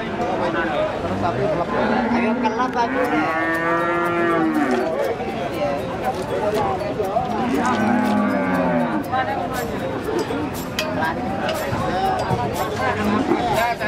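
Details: Limousin feeder cattle with a crooked, defective leg; two drawn-out, arching moos rise and fall midway, set in a busy backdrop of chatter, clatter and clicking noise.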